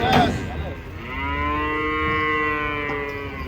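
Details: A brief thud opens the recording, then a single long, even-pitched moo rings out for over two seconds from giant cattle being unloaded from a truck.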